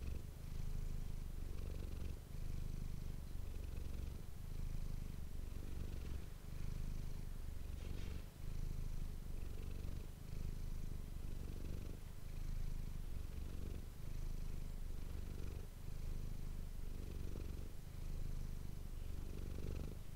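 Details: Manis the house cat purring into an ASMR microphone: low, buzzing continuous purr with breath-linked surges roughly every two seconds and brief dips between, faint soft movement noises.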